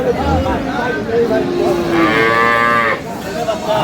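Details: One full, resonant moo lasting about a second rises from improved-breed dairy cattle, cows with calves, at Aftabganj cattle market, Dinajpur, 12/5/26, after a few fainter lows, over a hum of people talking.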